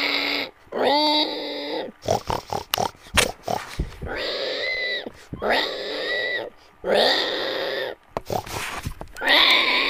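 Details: Pig (Sus scrofa domesticus), squeal.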